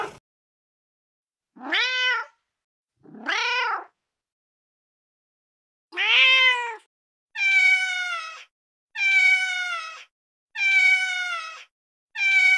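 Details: A male cat in heat calls to mate: two short rising meows, a pause, then a louder run of five longer, harsher wailing meows in quick regular succession, with no other sounds.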